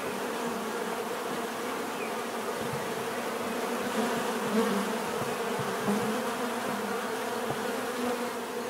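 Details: Bees buzzing in a natural setting, offered as relaxing bee therapy: a dense, steady drone of many insects with layered humming bands, occasional closer fly-bys swelling briefly above the even background hum.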